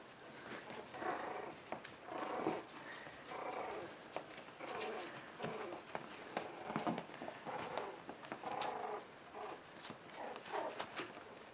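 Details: Puppies turning one month old, playing together in a play pen on January 7th: rough, noisy growl-like bursts come every second or so amid sharp clicks and scuffling from small paws indoors.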